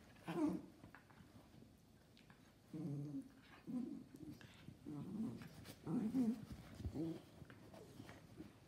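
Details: Gio the mini schnauzer takes on his little brother Kylo, a giant schnauzer, in play: several separate low growling grumbles spaced a second or two apart, over a quiet indoor background.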